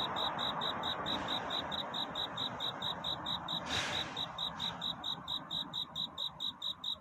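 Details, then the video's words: Cricket calling at night to find a mate, its high pulsed chirps repeating about twice a second; a brief brighter rustling burst near the middle, with constant low hiss behind. "귀뚜라미 울음소리. 슬퍼 말아요 우는 것이 아니라 사랑을 찾는 노래랍니다"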